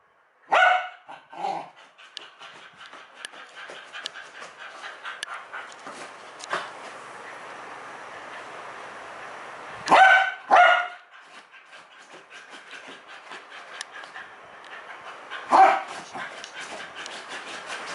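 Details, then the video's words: House dog reacting to the USB plug/unplug sound with scattered loud barks amid continuous rustling, panting and scuffling, likely on bedding; barks come singly or in pairs several seconds apart. "My dog become crazy when the usb plug/unplug"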